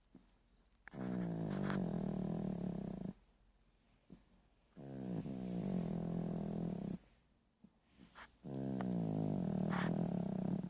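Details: Sleeping dog in a deep, rattling snore: three drawn-out growly breaths roughly every three and a half seconds, low and buzzing, with small clicks and snuffles between them.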